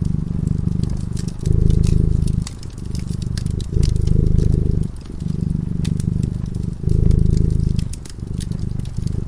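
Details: Low, vibrating purr from a cat dozing beside a cozy fire. The rumble rises and falls in regular breath-length waves, and bright crackling from the burning wood sits over the top.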